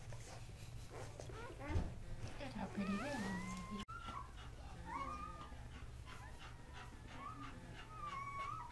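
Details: Three male Casablanca Kuvasz puppies, newborn, born October 30, 2008, give scattered thin whimpers and drawn-out level whines in a small room, with rustling, a sharp click and steady low hum behind them.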